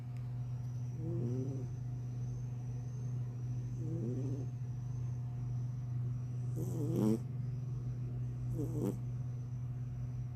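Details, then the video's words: An orange cat asleep and snoring; soft, rasping snore bursts recur every two to three seconds over a steady low electrical hum, with a faint high whine running throughout. "Kucing oren tidurnya ngorok"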